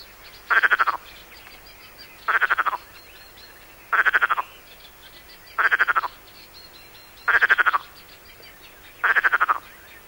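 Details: Rasping, pulsed calls of Perez's frog, found only on the Mediterranean coast, like a rattle in the throat: six short bursts spaced roughly every one and a half seconds against a quiet background.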